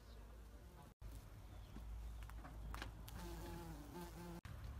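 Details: A bumblebee pollinating flowers, recorded close up, gives a low, steady droning buzz rising and falling slightly as it moves nearby; bumblebee.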